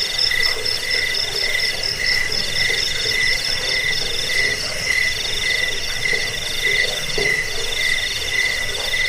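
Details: Crickets used to scare off rats, aid sleep and tutor songbirds: overlapping high trills and slower pulsed chirps roughly once a second, forming a thick continuous chorus with some lower croaking texture mixed in.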